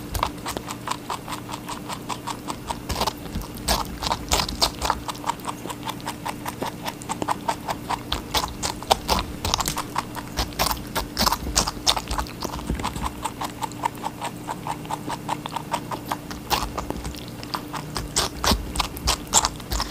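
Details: Rabbit chewing watermelon in a long steady run of fast, crisp, clicking bites that barely pause, occasional heavier crunches, and a soft constant hum beneath.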